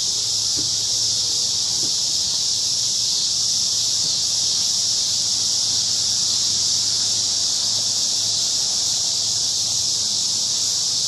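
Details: An evening chorus of crickets in a large cottonwood tree in a park: a continuous, even, high-pitched hiss-like trill without pauses, plus a soft low hum underneath.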